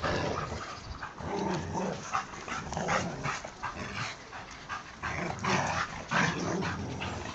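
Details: Labrador and boxerdor dogs playing tug of war; dense, rough growling and snarling noises run throughout with scattered short yips, amid scuffling.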